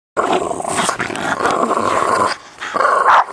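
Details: Bulldog growling: a continuous rough, throaty growl lasting about two seconds, then a short drop in loudness and a second, sharper growl rising toward the end.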